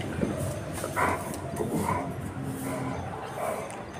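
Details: Rottweiler; bark; aggressive barking aimed at street dogs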